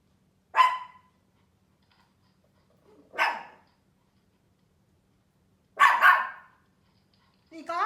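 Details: Tiny fluffy Pomeranian Mimi, frightened by loud noises, gives three harsh single barks about three seconds apart, with silence between and a brief woman's voice at the end.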